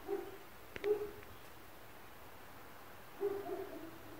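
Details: Muffled barks of neighbours' dogs carrying into an apartment at 4 a.m.: three short, hollow woofs, the first two close together and the third after a two-second gap, with faint room hum.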